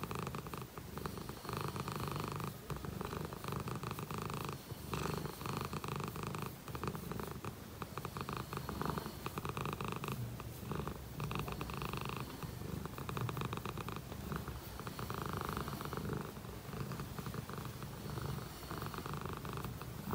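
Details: Steady contented purring from a Dragon Li shorthair cat, a continuous low pulsing rumble, close and even, rising and falling softly with each breath for the full twenty seconds.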